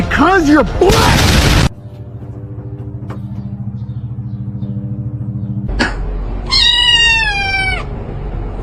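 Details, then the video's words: Cat giving a drawn-out, falling meow with a strong harmonic ring near the end, after a short wavering cry and a loud burst at the start, over a steady low hum with voices and music in the background. "funny cats talking"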